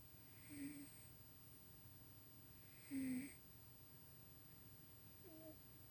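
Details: Sleeping house cat Tuxie snores as he dreams, indoors; two breathy droning snores about two and a half seconds apart, the second louder, then a faint squeaky wisp near the end, against low room hum.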